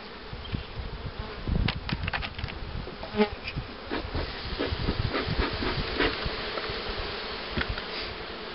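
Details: Honey bee hum around hives readied for queen rearing, with a starter hive for queen-cell acceptance and a box of breeder queens. A continuous low buzz carries scattered clicks, with a brief faint higher tone midway.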